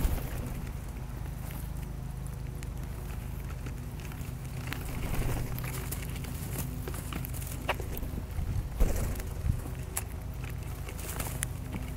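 Steady low rumble of wind and a passing vehicle, with scattered clicks and knocks; no animal calls stand out.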